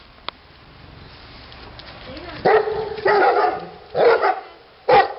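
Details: After a quiet start, a Neapolitan Mastiff called Titti gives several heavy, ringing barks roughly a second apart, with a faint whine before the first bark.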